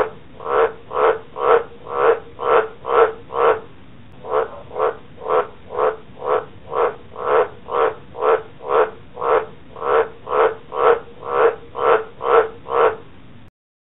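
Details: Green tree frog hurt by a council lawn mower gives a long run of regular throaty croaks, about two each second, with a brief pause after the first seven before the series resumes; nothing else audible.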